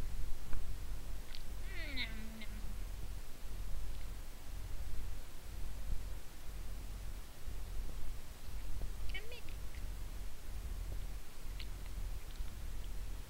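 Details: A Scottish Fold kitten climbing onto a person to get at their moon cake gives a couple of brief, thin meows over a steady low background rumble.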